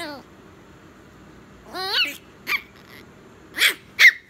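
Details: Baby Chihuahua letting out a long wavering whine that bends downward, then a few sharp high yips in quick succession, with quiet pauses between.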